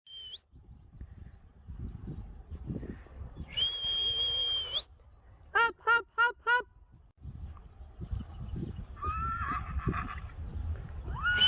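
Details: Friesian horse in the morning, being brought back in after the herd's first night sleeping outside; one horse wants to follow the others as they go in. A quick series of four pulsed, quavering neighs in the middle, with steady whistled tones, footsteps and a spoken word.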